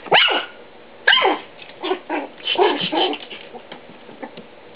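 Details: A male Papillon playing with a Siamese cat on 9 August 2011 gives two sharp, high-pitched yipping barks, followed by softer, shorter sounds.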